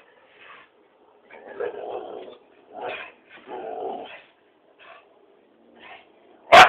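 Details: Pet dog confronting a cat, making drawn-out, rough grumbling vocalisations in several bursts of about half a second to a second, ending in one abrupt loud bark.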